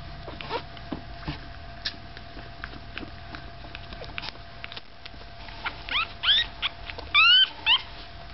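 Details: Staffordshire Bull Terrier puppies five days old: soft shuffling and faint clicks, then a run of high, thin squealing whimpers near the end, each rising and falling in pitch, several short cries close together.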